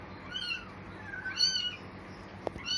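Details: Newborn kitten, eyes still closed, one of four left on a cloth in a cemetery at dusk, crying with thin, high, arched meows, several in a row that rise and fall, over faint background noise and a sharp click near the end.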